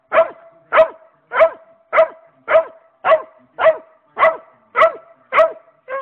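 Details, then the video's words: Domestic dog barking at a rabbit, eleven crisp barks in a fast, regular series of nearly two per second, each short and bright with a falling tail; one last bark cut off at the end. "barking at rabbit"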